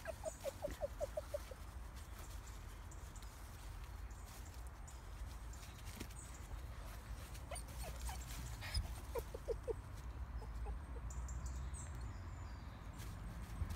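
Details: Female Pomsky Bentley whining nervously at a hog behind a fence, her first sight of one during a walk; brief bursts of quick, high whimpers at the start and again midway over steady low outdoor rumble.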